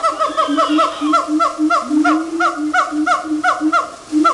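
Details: Singing monkeys at Woodland Park Zoo deliver quick, rhythmic hoots that each bend downward, about three a second, one longer rising slide in the middle, against faint flowing water.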